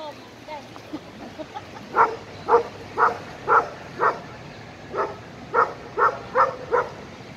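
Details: An 11-month-old Irish Wolfhound plays with an Italian Mastiff, its best friend, at a dog park. About ten sharp barks come in quick, fairly even succession, often in pairs, after faint murmured voices at the start.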